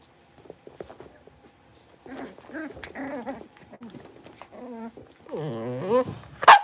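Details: Blenheim Cavalier King Charles Spaniel puppies, a litter of five, newly moved into a big pen, give overlapping harmonic whines and short yelps. The calls start quiet, then grow louder and rise in pitch, with a sharp yip at the end.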